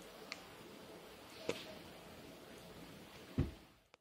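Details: A quiet indoor room with a few sharp clicks and one soft thump, with no animal voice.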